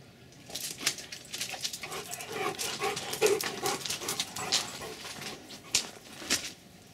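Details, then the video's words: Two Rottweilers, Denis and Cayenne, getting to know each other: quick, breathy, irregular bursts of panting and sniffing that rise and fall over several seconds, loudest in the middle, with no other clear sounds. "zwei Rottis beim kennen lernen"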